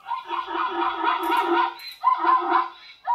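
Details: A plains zebra in Southern Africa gives its contact call: a harsh, barking, yelping bray in two long bursts about a second apart, each a run of rising and falling hoarse yaps.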